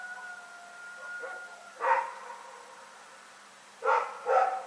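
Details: Rex, a dog barking at night in Pyrga, recorded February 27, 2018: a faint steady whine-like tone, then one sharp bark near two seconds and a quick double bark at the end, with quiet background between.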